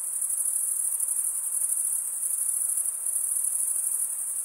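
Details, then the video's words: Crickets chirping by wing stridulation, mostly males; a constant shrill, finely pulsed trill lasts the full few seconds without pause, with nothing else heard. "cricket sound"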